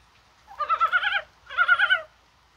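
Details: Mountain frogs calling in rain on a spring-like January 21, possibly while spawning: two rippling, pulsed croaks of roughly half a second each, separated by a short pause.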